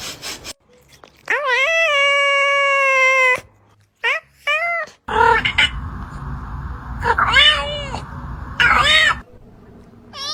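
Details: Cats making funny sounds around bath time: a long, drawn-out wailing meow, then short rising and falling yowls and cries over a running-water rush, with a person's shouts and a child crying.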